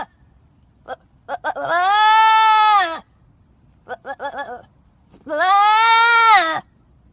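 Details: A goat said to be trapped gives two long, loud, harmonic-rich wavering bleats, each lasting over a second, with short choppy sounds between them.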